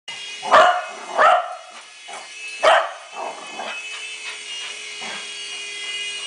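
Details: Betty, a pet dog, plays with a WL Toys V388 Hornet remote-control helicopter received for Christmas, already tired from playing. She gives three sharp barks in the first three seconds, then softer woofs, over the helicopter's constant high whine.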